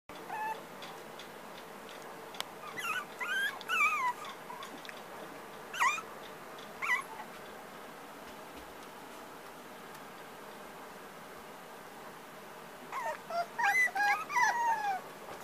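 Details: Black tricolour puppy from a breeder, giving high whimpers and squeaky yelps in bursts around three to four seconds and again near the end, with quiet gaps between.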